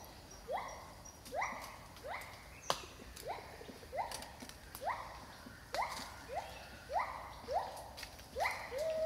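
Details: A pair of wild gibbons singing in rainforest at Khao Yai National Park, Thailand, captured with a 360 camera and spatial audio gear: rising whooping notes repeated roughly every 0.7 seconds, each sweeping upward, with faint clicks and forest hum.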